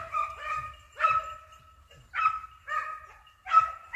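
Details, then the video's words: Hunting dogs on a hare hunt in Italy, giving tonal baying barks in spaced bursts about once a second, each with a steady pitch and strong harmonics, several voices overlapping in a chorus. "Caccia alla lepre SCOVO LEPRE IN VISTA 2 VOLTE"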